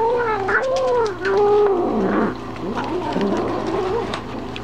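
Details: Momma Kitty, a house cat, telling the dogs to keep away from her food while eating: drawn-out wavering caterwaul, rising and falling in pitch, softening into lower moaning growls in the second half.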